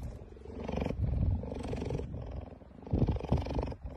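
A cheetah gives a deep, rumbling purr in rough, throaty pulses that swell and fade.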